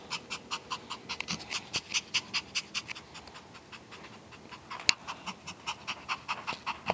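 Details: Pomeranian dog panting steadily, quick rhythmic breathy huffs repeated about two or three times per second, soft and airy with a brief sharp click partway through.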